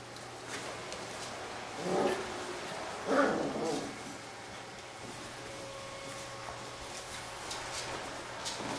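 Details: Playing Labrador retriever puppies from a B litter: two rough, noisy bark-growls about a second apart, then quieter scuffling, faint yelps and a constant low hum in the room.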